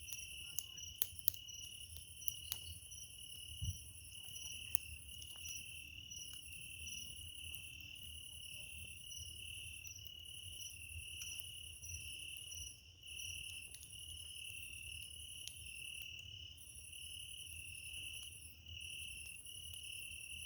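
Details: Cricket chirping by a campfire at night on 27 July 2024, steady high-pitched trills in regular pulses with brief pauses, over low crackling of burning wood and occasional sharp pops.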